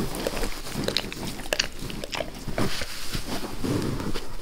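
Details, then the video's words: Close, wet licking by Max the dog on his owner's face in a small room: sticky smacks and slurps in rapid uneven succession, with a few sharp clicks, no speech. "Max Licks | Face Part Tres | ASMR DOG LICKING"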